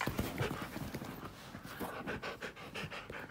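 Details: Pet Siberian husky indoors at home, pushing up close to its owner before suddenly settling for a nap; quick rhythmic panting breaths with light clicking of claws on the floor.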